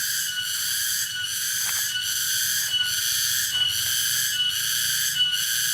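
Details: Cicada (tonggeret) at Dago, Subang, West Java, producing a loud steady shrill drone with regular rhythmic pulses a little over once per second, dominating the recording.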